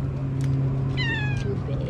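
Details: At a cafe, a cat that lies down to eat gives a single brief meow around the one-second mark. A woman's soft encouraging speech comes before it, and a constant low mechanical hum runs underneath.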